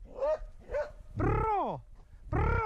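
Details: During his first wild boar encounter, Swix the dog gives close, loud barks, including a drawn-out bark that slides downward in pitch, with shouting voices nearby.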